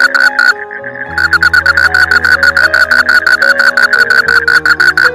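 A frog croaks in a fast, rattling series of short pulses over soft background music.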